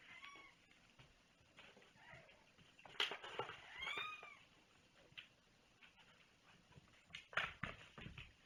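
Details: A domestic cat gives a few short, faint meows, each a brief rising-then-falling tone, among loud clicks, rustles and handling noises during a mailbag unboxing indoors.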